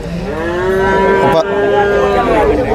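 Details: Water buffalo calf being sold at Chholakkal market, Payyanad, Manjeri, Kerala, gives a long, even, nasal moo that holds one pitch for over two seconds, with low market hum behind it.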